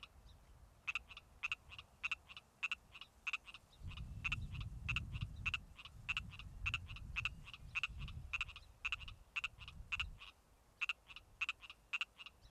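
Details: A male Pacific tree frog calling in late spring gives short, buzzy, raspy, nasal notes, several each second in an almost continuous run; a low rumble, probably wind, passes midway.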